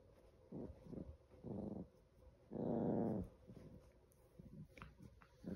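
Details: Five-month-old Chihuahua puppy indoors in a small room, growling in rough low rasping bursts: short ones early on, then a sustained growl of about a second near the middle, with quieter scuffling sounds between.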